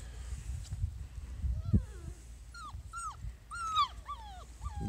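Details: Small Munsterlander puppies of one litter, a little over five weeks old, at a kennel, giving short rising-and-falling whines in a run of four or five, with low human voices and handling noise.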